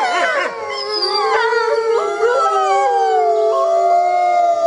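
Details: At night, wolves of a pack communicating: a brief sharp yip at the start, then drawn-out howls, one holding low and steady while another slowly rises and stays high.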